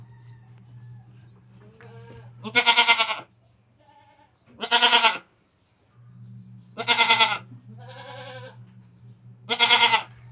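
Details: Pet goats near their keeper's house letting out four loud, harsh, quavering bleats, one every two to three seconds, with a steady low hum and quiet gaps between calls.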